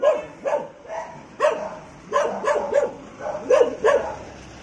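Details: A German Shepherd fighting a street dog: short, harsh, tonal barks and yelps in rapid bursts, roughly ten across under five seconds, some doubled or clustered, with faint background noise.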